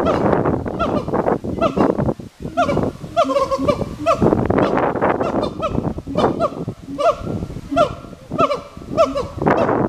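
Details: Two captive siamangs calling back and forth at Hirakawa Zoo, Kagoshima, Japan, on an island beside the ring-tailed lemurs; loud, dense series of harmonic barking hoots, many with short rising-falling inflections, repeated rapidly and overlapping throughout.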